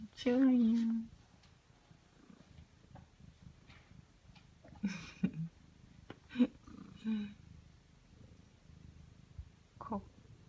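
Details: Ragdoll cats Ao and Aki, aged one year one month and ten months, greet their owner indoors on a lazy morning after waking; one loud, steady, harmonic meow opens the clip, followed by soft human talk and brief vocal sounds.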